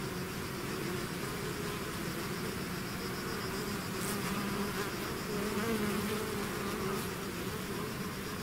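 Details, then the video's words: Bees swarming out of a hive make a continuous deep hum, individual buzzing tones drifting up and down within the steady collective drone. "bees therapy swarm natural buzzing sound"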